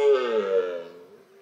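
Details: A red deer stag gives a rutting roar in October, a loud, harmonic bellow that slowly sinks and fades; Red deer.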